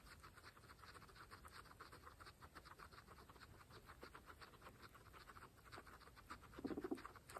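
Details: Grass-munching pregnant guinea pigs, kept as a group of 26 females, giving continuous dense crunching and tearing ticks, a short low grunt near the close.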